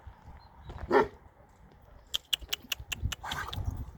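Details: Kangal dog in Sivas-Şarkışla, Turkey, giving a single deep, harmonic-rich bark early on, then quiet, followed by a burst of sharp clicking or tapping sounds and rustling noise.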